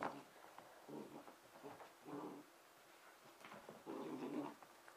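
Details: Emma, a red and white Pembroke Welsh Corgi puppy aged 5.5 months, entertaining herself indoors on Christmas night 2009; low rumbling growls and grumbles rise in several throaty bursts, with soft panting between.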